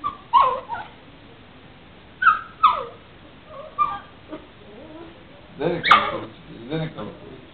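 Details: Female puppy vocalising at her owner: a series of short, whiny yips and whimpers with falling pitch, coming in separate bursts spread over several seconds, with a person's voice also present.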